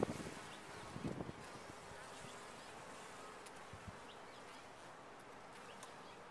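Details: Honey bees inside a top-bar hive: a dense, steady droning hum from the colony, with a few louder buzzing swells in the first second and a half before settling to an even, continuous drone.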